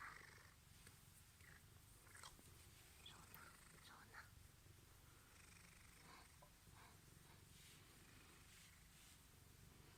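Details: Steady, deep purring from Misha, a male Ragdoll born 23 April 2015, after a spell home alone while being offered Crispy Kiss treats; a continuous low throb with light tapping and quiet human voice in the background.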